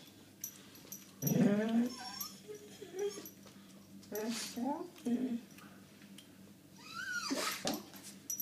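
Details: A Doberman named Tina, reacting to a pigeon, gives several stretched, wavering whines and throaty grumbles rather than sharp barks, each rising then falling, as a person speaking French soothes her in a small room.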